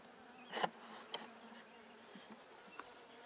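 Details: Calm Buckfast honey bees on hive frames being inspected for brood, 23 May 2009; a faint continuous hum broken by loud clicks and knocks of frames being handled.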